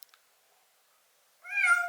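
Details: A rescued white kitten, found dying and crouching at a home's front door in early winter in Japan, meows once near the end after a near-silent start: a clear, slightly falling tone with rich harmonics. A man's soothing voice is nearby.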